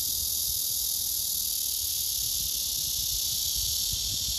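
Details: A male blackish cicada buzzes its courtship song to a female that ignores him; the sound is a steady, harsh, high sizzling drone without pauses, with faint low murmur beneath.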